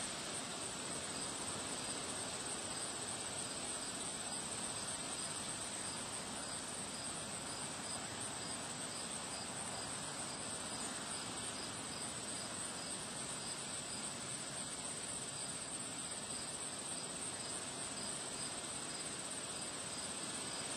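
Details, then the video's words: Crickets chirping outdoors on a windy day among flowers. Faint, high, pulsing chirps and a thin steady trill sit beneath a strong, continuous roar of wind. "Relaxing Sound of Crickets Chirping on a Windy Day"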